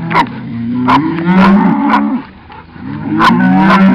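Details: Cattle lowing while being herded slowly by a Cattle Dog and a second dog: long, steady, low moos that bend slightly in pitch, overlapping each other, with sharp dog barks breaking in repeatedly throughout.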